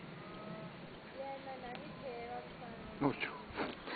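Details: Horse call near Ruby, a mare, and her Dutch Warmblood x Welsh Section D foal, born 8 July 2010 and about an hour old, at Acton, Suffolk. Drawn-out tonal calls with bending pitch come first, then short rustling knocks near the end.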